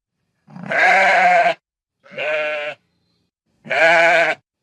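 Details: Sheep heard in pasture and farm settings, giving three harsh, wavering bleats, each about a second long with short silent gaps between them.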